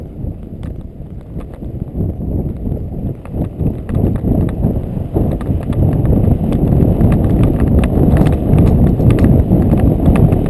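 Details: Ridden Friesian horse Ed running along river bottoms at McIntosh Reserve in Whitesburg, Georgia, recorded on a GoPro Hero 2; loud, dense, regular hoofbeats, roughly three strikes per second, thudding over the ground with wind rush.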